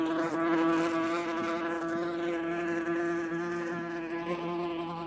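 A wasp's steady, droning wing buzz, holding one low pitch with rich overtones.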